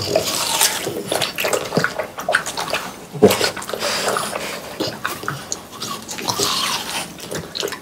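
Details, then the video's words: Close ASMR recording of French Bulldogs Pang, Kun and Ppo gobbling watermelon in summer heat; sloppy, watery slurps and crisp bites alternate irregularly, with one loud crunch partway through and continuous juicy dripping smacks. "강아지 먹방 ASMR 여름이 가기 전에 수박을 먹어보았어요 ~ 프렌치불독 팡 쿤 뽀 수박 먹방"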